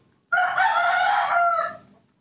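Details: Baby monkey kept by a carer, calling to be given milk rather than bananas: a single loud, even, drawn-out tonal cry of over a second that tails off at the end.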